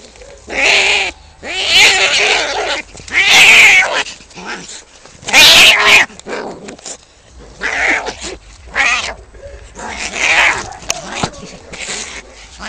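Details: Cats fighting, with loud harsh caterwauling screeches coming in irregular bursts about every one to two seconds, some with wavering yowls, and quieter gaps between them.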